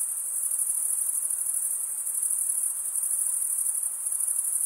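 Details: Stridulating male crickets keep up a bright, very high, continuous trill with a gentle rapid pulsing texture, accompanied only by faint background hiss.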